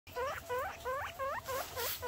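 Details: Newborn baby guinea pigs calling: a loud series of squeaky, rising-then-falling chirps, each phrase a stacked cluster of short notes, repeated about every quarter second with brief gaps.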